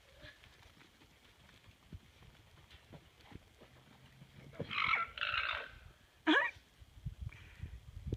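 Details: Jr the alpaca, at a horse he has been squabbling with all day, lets out harsh, shrill squealing bursts followed by a sharp, rising cry.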